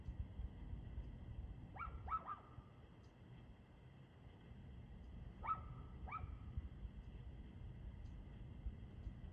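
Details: A dog barking at 6:02 pm on 2/6/2024: two quick bursts of three sharp barks, about four seconds apart, over a steady low rumble and a faint electrical hum.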